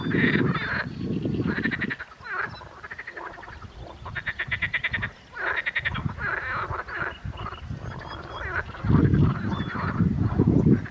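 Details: Spring chorus of edible frogs: loud, pulsed, rattling croaks in bursts of one to two seconds, several frogs overlapping, with deep, grunting low notes between the bright, buzzy rattles.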